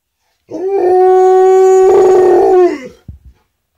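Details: Alaskan Malamute howling at a siren: one loud, steady, drawn-out howl held at an even pitch for about two seconds, rich in overtones, then fading, followed by a few soft short sounds.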